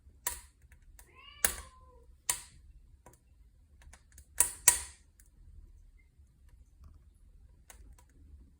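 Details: Domestic cat beside a wood-burning fireplace gives one short, bending meow early on, while sharp pops and crackles of the burning fire dominate throughout.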